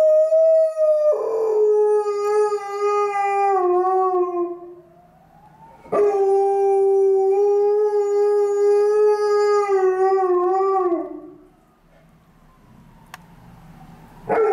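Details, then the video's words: On a gloomy afternoon, a female Alaskan Malamute lies on a stairwell and howls at a passing ambulance. Two sustained, tonal howls, each about five seconds long, start high and settle lower, with quiet gaps between them and a third howl beginning at the end. "A long stairwell howling by Alaskan Malamute"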